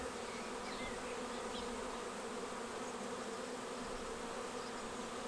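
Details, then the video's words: Steady, dense droning of a honeybee swarm as it arrives at a bait hive and files into the swarm trap on 19 May, a continuous hum of countless wings throughout. "Watch the bee swarm arrive and file straight into the swarm trap."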